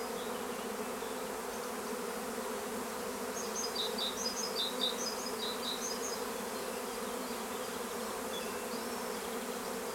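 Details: Swarming honeybees recorded at Longué-Jumelles in France, a continuous low buzzing drone from many insects, with a brief burst of high chirping bird notes in the middle.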